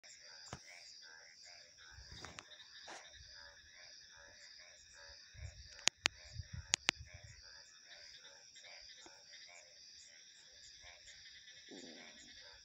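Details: Male tree frogs give rapid, repeated pulsing mating calls at night in mating season, over a steady high insect-like drone.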